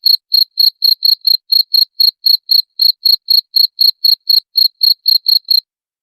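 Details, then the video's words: Cricket song meant to scare off rats: a regular series of bright, high chirps, roughly four per second, ending in a brief silence. "SUARA JANGKRIK PENGUSIR TIKUS"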